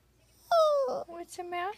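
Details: Crying poodle gives a sharp falling whimper, then shorter broken whines, with a person's soothing voice asking what the matter is.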